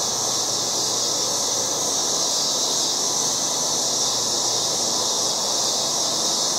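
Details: Loud cicadas calling in a yard in August: a steady, dense, high-pitched buzzing drone that holds unbroken and even in loudness, with a fainter hiss spread underneath and no other clear sounds.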